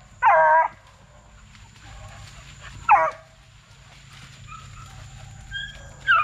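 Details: Plott Tan pups, a Plott hound and black and tan coonhound cross raised as track dogs, let out two strong, ringing bays about three seconds apart, each slurring downward, over a low steady hum.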